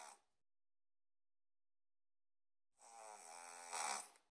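A Boston terrier snores loudly, a rough, rattling breath with a buzzy harmonic edge.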